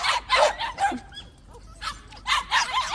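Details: Several white puppies in a plum orchard give bursts of sharp, high barks, a short pause, then another clustered flurry of yaps.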